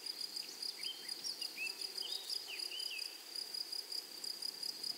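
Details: Rapid, regular high-pitched pulses from grasshoppers in a flowery meadow, with short whistled bird notes sliding up and down beneath the insect buzz.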